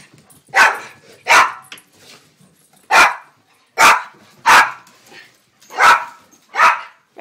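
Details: Household dogs (a Rhodesian Ridgeback, a German-Beagle mix, a Silky Terrier and a foster APBT/Boxer mix) indoors during the morning routine before breakfast. Seven sharp, loud barks at uneven intervals of about a second, with a person's voice announcing breakfast time between them.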